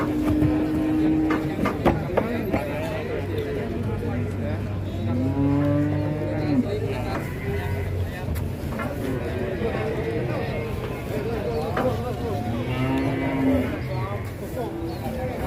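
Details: Giant sacrificial bull for Qurban being loaded onto a swaying truck; a few long, level, low moos near the start, middle and end, over steady music, a low engine hum and some talking.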